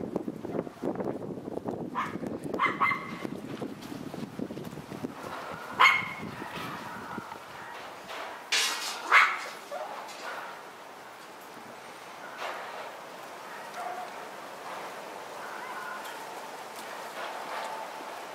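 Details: Male White Schnauzer puppy, born 23 September, gives a few short, high, strained yips and whimpers, spaced several seconds apart. They are loudest around the middle, over low murmuring at first and a soft steady background hiss.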